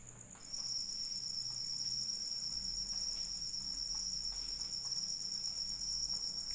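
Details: After half a second of near quiet, a cricket's shrill, rapidly pulsed trill switches on and continues steadily, joined by other trilling bands, with light rain patter beneath.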